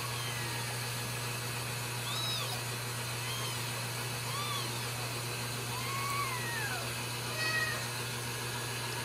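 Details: Several Ragdoll kittens from a cage-free home cattery in central Kansas mewing repeatedly, thin high squeaks and longer arching meows scattered across the stretch, partly masked by loud steady hum and broadband noise.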